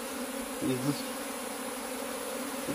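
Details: Western honey bees (Apis mellifera) hum in a steady, low drone of constant pitch while a beekeeper searches the colony for the queen.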